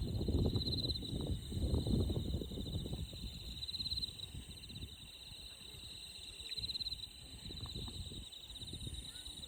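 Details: A steady, high, finely pulsed insect trill runs throughout over the rushing of a clear stream in Shimogo, Fukushima Prefecture, Japan.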